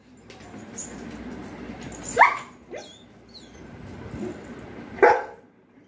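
A German Shepherd gives a couple of sharp, loud barks, with softer huffs between them.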